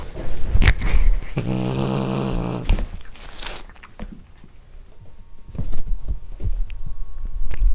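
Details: Cat growling while eating corn for the first time, with close, wet chewing and crunching. A low, buzzy growl with stacked harmonics lasts about a second and a half, surrounded by irregular clicks and smacking bites.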